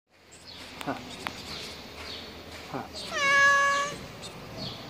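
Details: Hungry stray cat in Martil, Morocco, hit on the mouth and struggling to eat during a feeding effort for hungry cats in the coronavirus lockdown; one clear harmonic meow near the end after scattered clicks and soft noises.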